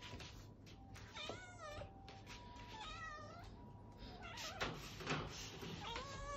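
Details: Abyssinian cats demanding treats: a series of loud, drawn-out meows, several wavering and rising then falling in pitch, coming close together with short gaps, over a steady low hum and faint rustling.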